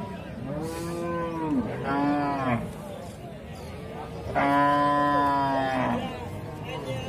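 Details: Cattle mooing in long, drawn-out harmonic calls. Four moos come in sequence, some rising and others sliding down at the end, with a low background murmur.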